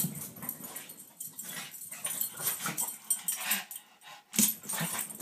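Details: Two Pekingese chase each other back and forth past a door in play, giving soft wheezy snorts, little whimpers and yips among rustling, scuffling noise.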